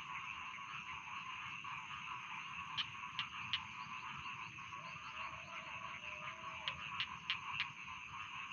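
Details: Many rice field frogs trill together in a continuous chorus, while sharp clicking calls pop out in small clusters and a brief lower croak sounds midway.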